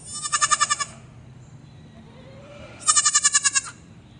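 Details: Two loud, strongly quavering bleats from a baby goat on a farm, each pulsing rapidly about seven or eight times in under a second, separated by a quiet gap of nearly two seconds.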